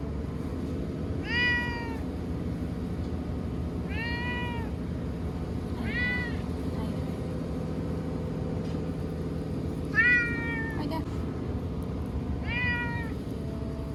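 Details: Cowering TNR cat Chanta, sheltered in a bathroom while Typhoon No. 10 approached in September 2020, cries repeatedly: five loud, harmonic, falling meows roughly every two to three seconds, over a steady low hum.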